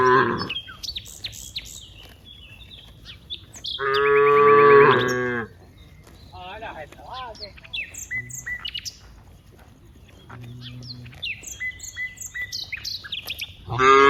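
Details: Dozens of cows active in a wide rice field: one loud, harmonic moo of about a second and a half in the middle, another beginning at the end, with frequent bird chirps and whistles in between.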